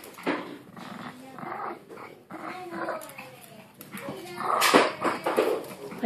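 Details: Harry, a pet Maltese, growls and whines indoors during tug play with his favourite Angry Bird toy he won't part with; low growls mixed with higher whimpers, owner talking over parts, a loud rustling burst near the end.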